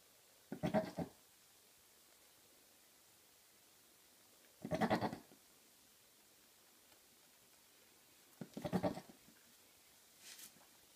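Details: Two Maine Coon cats, father and son, calling with goat-like bleats: three short wavering nasal calls spaced about four seconds apart in a quiet room, followed by a faint softer sound at the end.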